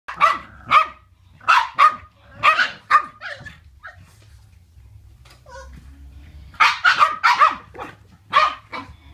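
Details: Boston Terriers at play bark in quick sharp bursts, several yaps in a row, pausing, then barking again.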